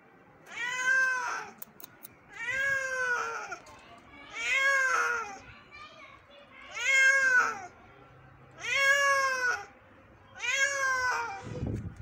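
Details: Injured kitten under rescue one morning meows six times, steady plaintive cries about every two seconds, each rising then falling, with a soft low hum and a brief rustle at the end.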